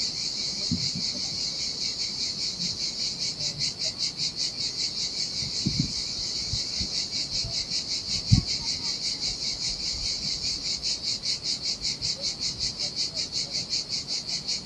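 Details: Cicadas singing in the heat by a desolate Sardinian beach, a shrill, buzzy song running without a break, pulsing in steady waves about twice a second.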